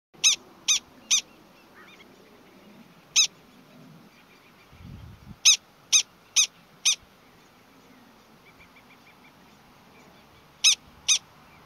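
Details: Prairie dogs at Valle Caldera, New Mexico, giving an alarm call: short, sharp, high chirps, singly or in quick runs of three or four, separated by pauses, with a faint low rumble near the middle.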